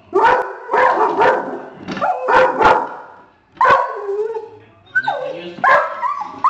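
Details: Mason, a pet dog, gives his whining bark reserved for deer, warning on spotting a family of deer in the front yard; loud broadband barks in quick pairs with whiny tonal slides between them.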